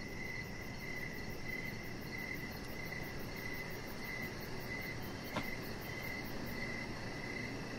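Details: Evening cricket chorus by a deck: clear chirps at a steady pace, a rapid high pulsing trill overhead, low background noise throughout, and a single sharp click partway through.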